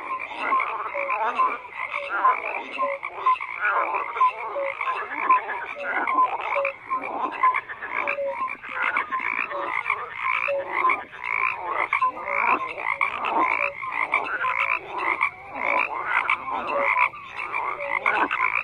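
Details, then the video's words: Frogs in full chorus, croaks tumbling over one another in quick pulsed bursts and short clear notes, continuous and dense with no other sounds present. "FROGS CROAKING"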